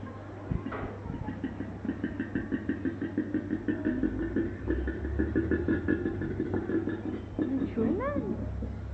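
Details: Koala at Featherdale Wildlife Park making strange noises: a long train of rapid, low, buzzy pulses repeated about three times a second. It ends with a couple of short rising tones, with a steady low hum underneath.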